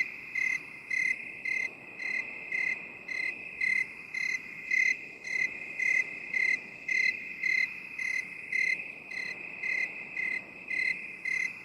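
A cricket chirps in steady, high, pulsing bursts, about two each second, over a constant insect hum.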